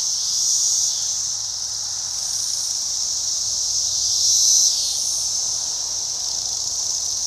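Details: Single Cassin's 17-year cicada calling, a steady high, hissing buzz held for the whole stretch, swelling slightly in loudness near the middle, with no other clear sounds.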